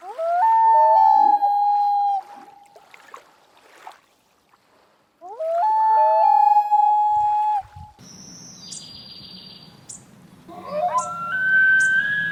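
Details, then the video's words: An elk bugles twice, each a rising, strained whistle rich in overtones held for about two seconds; after an abrupt cut, other high rising tonal calls follow. "Elk Bugles"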